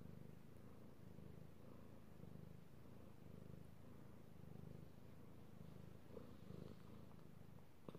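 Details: Purring from a male pet cat as he is stroked, recorded 16 March 2018; a continuous deep, pulsing hum rising and falling with each breath, with faint light touches near the end.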